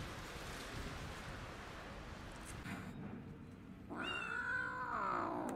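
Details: Abandoned kitten found freezing in snow at -11°C in January, rescued after two days alone; a broad noisy wash fades out, then a loud, wavering, drawn-out meow with stacked harmonics fills the last second and a half.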